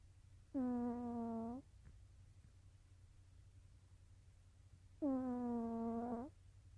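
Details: Nova, a cat asleep, produces two sustained nasal snores about four and a half seconds apart, each a flat, reedy hum of roughly a second; a faint click falls between them.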